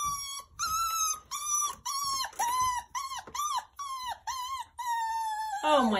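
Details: High whining from a 9-week-old Miniature Schnauzer puppy, indoors, demanding to be let outside with his toy squirrel. About nine arched, yelping whines come roughly every half second, then one longer cry, and a woman's voice follows at the end.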